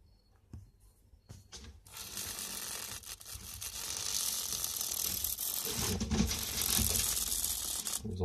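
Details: Adult female corn snake vibrating her tail like a rattlesnake at feeding time, defensive while eating; a sustained dry, hissing rattle builds after two seconds and runs to the end, with a few soft clicks and a voice in a small room.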